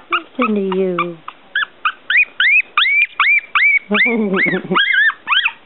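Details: Litter of one-week-old Smooth Coat Collie/Coon Hound/Pomeranian puppies, noisy and starting to fight; a low drawn-out whine gives way to rapid high rising squeals, about two to three per second, over faint indoor background.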